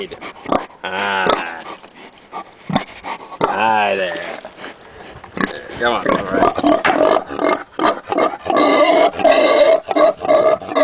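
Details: A pet pig nicknamed Pavarotti gives wavering, drawn-out squeals rising and falling in pitch, like singing, while a man talks nearby.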